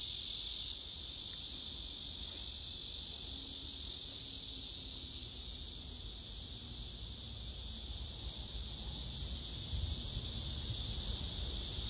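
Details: Male cicadas singing on trees where several cicadas gather, filmed by phone; a steady, dense high-pitched buzz holds throughout, with a brief brighter burst at the very start and faint low rumble beneath.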